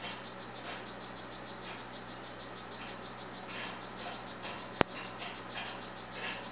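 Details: Calling male strawberry poison-dart frog, 'Rio Guarumo' form, in captivity: quick repeated high chirps throughout, about three a second, with one sharp click midway and a low background hum.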